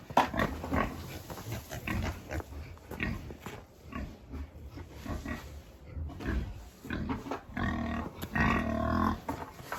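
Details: Pigs on a farm during chores, heard as a dense run of low grunts and snorts with squealing bursts near the end, mixed with steady background hum.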